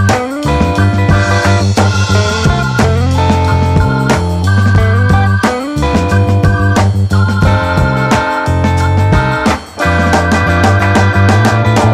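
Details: Dense rock and soul music with bass, guitar and drums playing throughout, and no animal sound.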